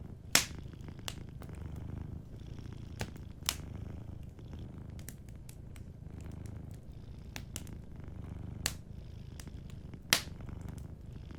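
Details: Sleeping cat purring softly by a warm fireplace: a low, steady rumbling purr runs throughout, broken by sharp crackles and pops from the fire.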